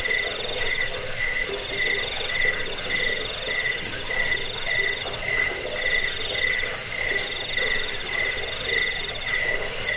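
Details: Massed cricket chirps used as a rat repellent, lullaby and songbird training sound; bright high trills stack in layers, pulsing rhythmically about four times a second without pause.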